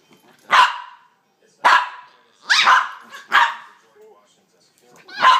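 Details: Two pups play fighting, giving weird monkey-like sounds: five sharp, broad yelping barks, each a brief burst, spaced about a second apart with quiet gaps between.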